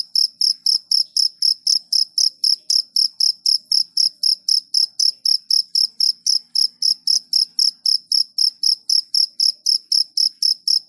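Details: Night cricket giving loud, regular, high chirps roughly four each second, an unbroken run over quiet background.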